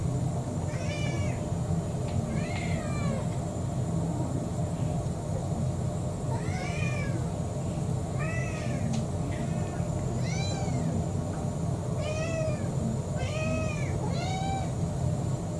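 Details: Four-year-old brown tabby mixed-breed house cat begging for dinner, giving about eight clear, rising-then-falling meows across fifteen seconds, some in quick pairs, over a steady low household hum.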